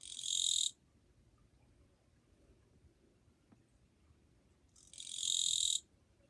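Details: Katydid singing on 2 July 2023, described as fairly quiet: two harsh, buzzy, high bursts of about one second each, separated by roughly four seconds of near silence.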